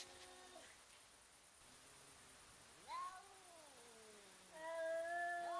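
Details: Cats facing off and threatening each other ahead of a fight; low drawn-out yowls that slide downward, a brief rising wail, then a sustained steady howl at the end over a hissing background.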